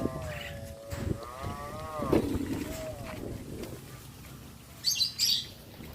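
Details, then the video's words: Cattle roaming the streets of a village: a drawn-out, tonal moo holds steady for about two seconds, then dips and ends. A short fainter call follows, then brief high chirping sounds near the end over low rumbling noise. "This village has many cows roaming the streets | Sound of cows | Voice of cows"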